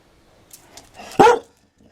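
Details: Dalmatian giving a single short, sharp bark after a few faint sniffs, then quiet.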